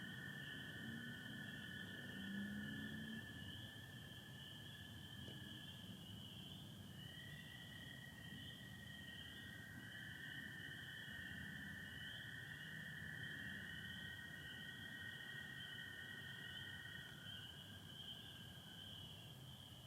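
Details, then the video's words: Spring peepers calling on a Michigan spring night, 24 April 2025, under stars with some overcast, a steady high chorus joined by American toads' long, lower, even trills that start, stop and overlap; low rumble beneath. "Sounds of spring peepers and american toads"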